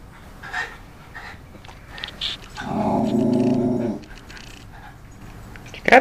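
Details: Zander, a Cairn Terrier, guards his territory and shakes his big mouse toy while watching passers-by. A sustained, rumbling harmonic growl lasts over a second, with brief human calls before it and a sharp knock at the end.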